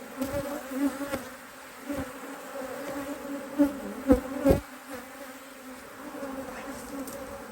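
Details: Honey bees in an Australian-designed HiveIQ beehive, opened to add a box of empty frames in near mid-autumn 2023 in Australia, in fine weather. A steady low hum with a higher overtone runs throughout, broken by sharp knocks and clicks from hive work.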